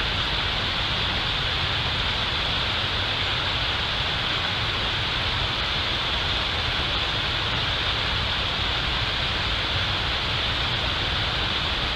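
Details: Steady broadband hiss like wind or rain noise, with no animal calls heard.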